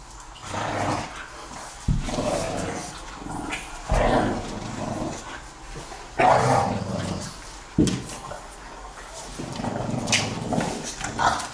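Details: A two-year-old English Bulldog and a four-month-old French Bulldog play fighting at night, giving low rumbling growls in bursts of a second or two, broken by short snorts and huffs, with scuffling between the growls.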